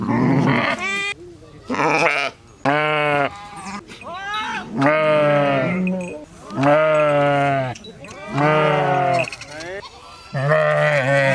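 Sheep bleat repeatedly, each wavering baa lasting about a second, separated by short pauses.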